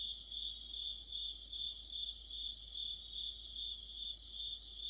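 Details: Crickets and fellow insects in a mid-autumn chorus near a streetlamp, an even high-pitched ringing drone topped by regular pulsed chirps about two or three per second, clean and uninterrupted.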